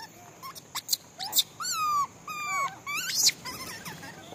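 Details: During feeding, a monkey utters several high, whiny squeals, each bending down in pitch and a little nasal in tone, with short clicks and taps between the calls; thin squealing calls sliding downward.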